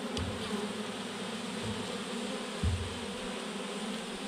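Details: Massive clump of honey bees hanging from a branch; a steady humming drone of the swarm, with a brief low knock or bump near the middle.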